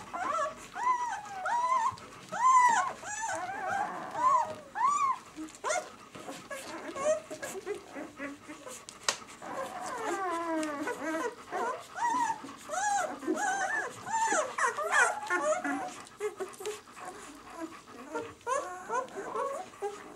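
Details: Newborn White German Shepherd puppies at six days old, B litter "of White Night", crying in repeated arched whines early on, then a busier tangle of many small squeaks and whimpers from several pups.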